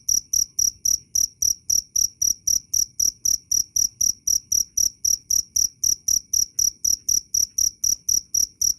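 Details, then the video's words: Jangkrik, a cricket, sounding loud and clear. Sharp, high-pitched chirps pulse evenly at close to four per second against a quiet, clean background. "Suara asli jangkrik Keras dan jernih"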